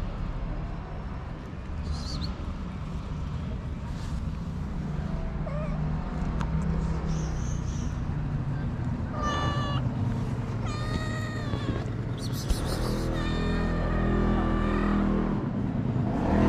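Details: Stray cats in Morocco, kept at a small shelter, crying for food and refusing to share; several meows of varying length rise out of heavy low rumbling noise, growing more frequent toward the end.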